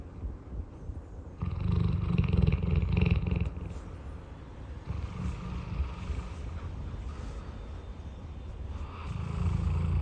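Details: Roy, a large pet dog, snoring while napping: low, rumbling snores in three broad bursts of a second or two each, separated by quieter breathing.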